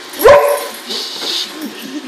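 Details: Boxer dog reacting to a robotic vacuum cleaner indoors gives a single short, sharp, harmonic bark near the start. Quiet room hiss and faint rustling follow.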